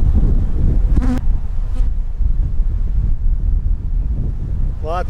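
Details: Honey bees in one of two backyard hives that survived winter, opened for inspection with queen cups found: a dense, low droning hum with rumbling handling noise, a short tonal hum near the start and a man's voice at the very end.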